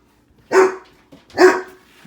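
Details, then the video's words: Two loud separate barks from a pet dog reacting to a microwave heating soup, the owner having just reassured it that it is only a microwave. "Dog barking at microwave"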